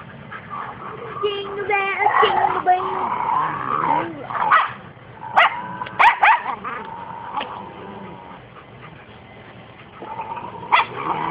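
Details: A dog being viciously attacked in an unprovoked assault gives high whining whimpers and a burst of sharp, short yelps midway, then a final cry, over constant agitated human voices.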